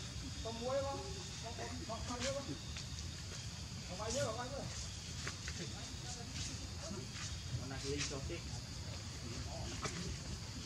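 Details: Baby monkey Leo crying and begging its mother for milk while hungry: short, wavering, whiny cries come in bursts over a constant low rumble and scattered clicks and rustling.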